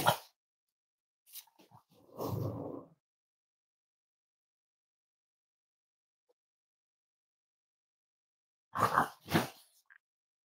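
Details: Cavalier King Charles Spaniel puppies snuggling indoors, raised as emotional support animals: a low rumbling growl near two seconds, then two short rough bursts near nine seconds, with quiet gaps between.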